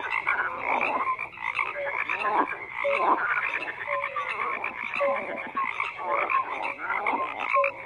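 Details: A thick chorus of croaking frogs, many callers overlapping in raspy pulsed bursts, with brief clear whistle-like notes scattered through and a steady, unbroken din.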